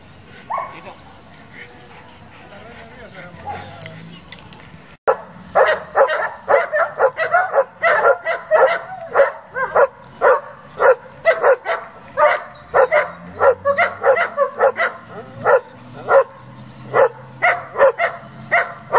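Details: German Shepherd kept for breeding and competition work. Quiet murmuring for the first five seconds, then a sustained volley of loud, punchy barks about two per second, continuing unevenly to the end.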